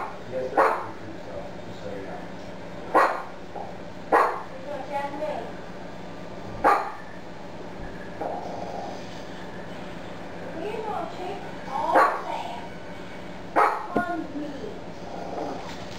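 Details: Affen terrier on watchdog duty, both fierce and timid: sharp single barks every one to three seconds, some followed by softer yips, with human speech and constant low household noise underneath.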